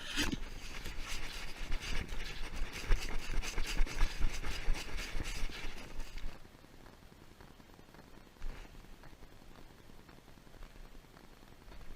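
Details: Loud scraping and engine-like rumble for six seconds, then near silence with faint background hum and no animal sound.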